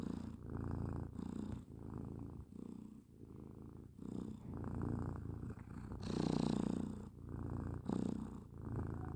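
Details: Sleeping pet cat snoring with low, throaty pulsed breaths repeating every second or so. One louder, harsher inhale comes near the middle. The room is otherwise quiet.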